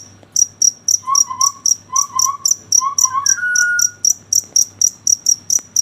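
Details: Night cricket giving rapid, evenly spaced high chirps, roughly four per second, while a second creature adds low warbling notes and a drawn-out whistle in the middle.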